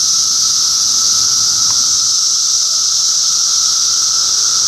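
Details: Middlesex County, New Jersey cicadas in June 2013 fill the air with an even, piercing high drone that never pauses, layered over a quieter constant lower whine, with one brief faint click midway.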